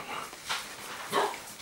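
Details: Rhodesian Ridgeback puppy Kibo Richie from the Makao Line kennel, a litter born 9 September 2016, gives two short sharp yips about half a second apart over a faint background hiss.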